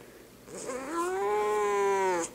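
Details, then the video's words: Large house cat protesting at being picked up: a sustained, slightly rising then level yowling meow of about two seconds, strongly harmonic, after a soft lead-in, with a quiet room in the background. "Kitty Says No!!!"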